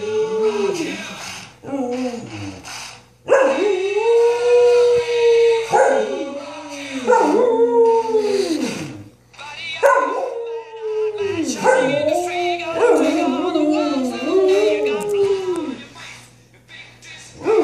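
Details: Samoyed puppy sisters howl along to Queen's "We Will Rock You" in long, wavering, rising-and-falling tones, overlapping in a noisy chorus. It becomes a duet when the second sister wakes up.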